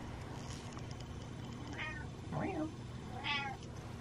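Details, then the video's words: Pet cat meowing after eating, wanting more food: three short rising-falling meows, second lower and wavering, over a steady low hum, with a person talking softly nearby. "Cat Meows After Eating. Wants To Eat More."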